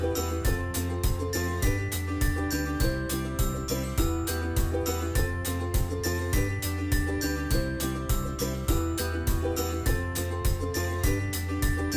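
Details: Cheerful jingling tune with glockenspiel-like notes and a regular bass pulse throughout, with no animal sound present.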